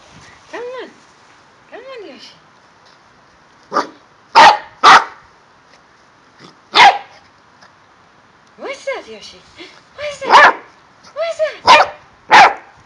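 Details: Male corgi in Milton Keynes, UK, vocalising while playing with balls: arched, tonal whining yelps early on, then sharp broadband barks in short bursts around the middle and end, with quiet gaps between.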